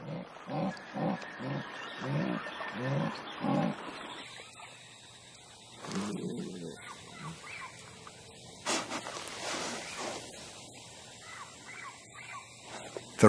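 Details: Female jaguar in the Brazilian forest calling out to a male, a sound not made by howler monkeys: a run of deep, rhythmic grunting pulses repeated about every half second over the first four seconds, then quieter rustling and scattered softer calls.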